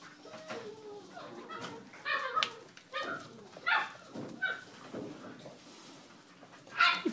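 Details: A liver-and-white male English Springer Spaniel gives short, high whines and yelps in a small room.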